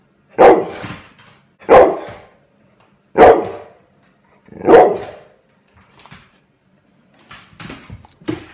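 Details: Angry pet dog barking at a fidget spinner indoors: four loud, sharp barks about every one and a half seconds, then quieter gruff barks and huffs.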